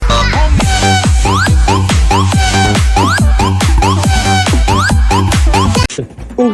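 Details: Loud electronic dance music with a heavy beat and rising synth sweeps, no animal voice heard. It cuts off abruptly near the end, leaving a brief stretch of quieter noise.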